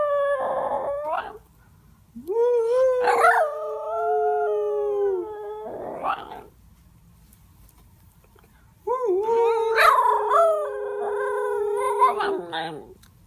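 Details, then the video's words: A female Miniature Schnauzer howls together with her brother, giving long, wavering howls that slide slowly downward, with short yips between them. "mini schnauzer howling"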